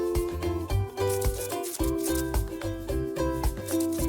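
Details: Bouncy plucked-string music with a shaker rhythm plays throughout, and no animal is heard. Steady harmonic tones and regular percussive beats fill the whole stretch.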